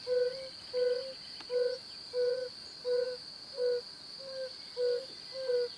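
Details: Male yellow-bellied toads calling in the breeding season from temporary ponds or ruts to attract females. Soft, short, hooting 'ouh' notes repeat steadily, about one every 0.6 seconds, over a constant high hiss.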